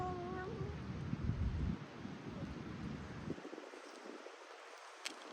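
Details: A feral street cat meows in the rain, one of a group that includes a long-haired tabby with wet fur and a shy one-eyed light-ginger cat. Several short tonal meows sound in the first second over a steady rumble of rainfall that continues alone afterward.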